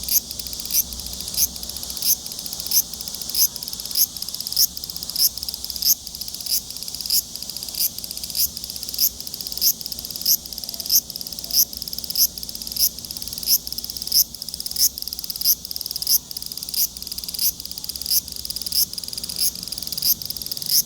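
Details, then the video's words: Large brown cicada in a long, high, hissing buzz that swells in regular pulses about every two-thirds of a second, keeping an even rhythm to the end. "유지매미 울음소리"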